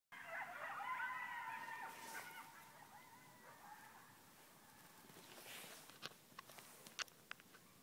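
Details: Wild coyotes howling from all directions about 100 yards from a house door. Several overlapping, wavering high tones rise and fall together for about four seconds, then fade. Faint scattered clicks and taps follow.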